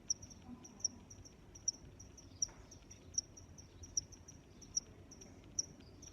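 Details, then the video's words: A cricket gives sharp, high chirps spaced about 0.8 seconds apart, accompanied by softer background chirping and a faint low rumble of outdoor ambience. "Sounds of Crickets"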